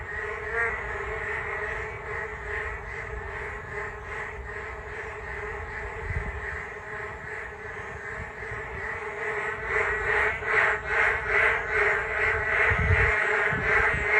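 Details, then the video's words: Frogs chorus beside a walking path along the Geum River on a rainy day. A dense, steady mass of croaking builds into a louder, rhythmically throbbing pulse over the last few seconds, with occasional low thumps. "비온날 금강변 산책로 개구리들의 떼창"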